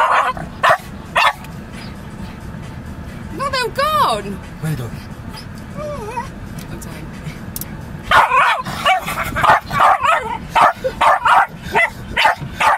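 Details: Jasper, a Lakeland Terrier sitting in a car just after rain, barks suddenly at the moving windscreen wipers; sharp bark bursts cluster near the end over steady engine rumble, with a few whine-like rising tones earlier.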